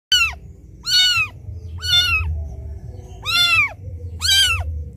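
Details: Kitten crying loudly for its mother after being left behind: five loud, arched, harmonic mews, each rising then falling, spaced about a second apart over a low steady hum.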